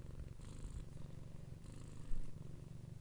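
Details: A cat purrs in a low, throbbing, evenly pulsed rumble, with two brief breathy hiss sections and a small louder bump near the end.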